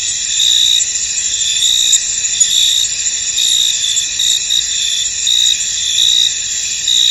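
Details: A misty field full of crickets, thick high insect trilling throughout, with louder bursts rising and fading irregularly and occasional brief clicks above the unbroken chorus.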